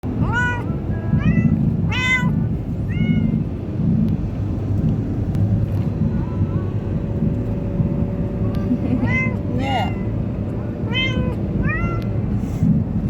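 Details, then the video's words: Munchkin cat on its first ride, scared or excited, giving short rising-falling meows in quick bursts of four, a quiet stretch with faint calls, then another run of five, over a steady low vehicle rumble. "Munchkin cat.. scared or excited!! 1st time on ride"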